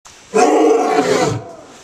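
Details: Lion at a big cat rescue giving one loud, harsh, rasping roar lasting about a second, which fades into near silence.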